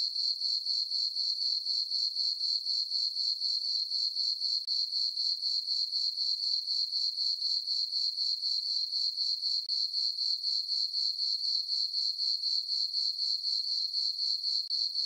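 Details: Crickets chirping on a summer night in a farm meadow under a full moon; a steady high-pitched trill pulsing about four times per second, very regular throughout, with no other sounds.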